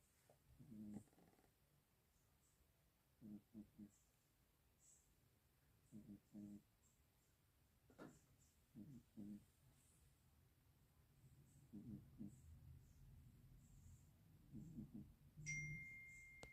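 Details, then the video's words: A three-year-old orange tabby cat sleeping indoors and snoring: short, soft, rasping breaths in regular bursts, roughly every one to two seconds, in a quiet room, with a brief electronic beep near the end. "Snoring Tiger"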